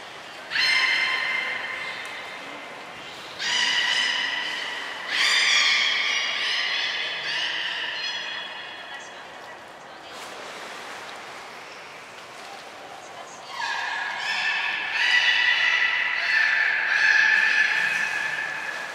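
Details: Belugas Hodoi, Taanya and Mirai at Port of Nagoya Public Aquarium, 23 February 2021, during a pool transfer and training session: several loud harmonic whistles, each held about one to two seconds, with quieter gaps between them.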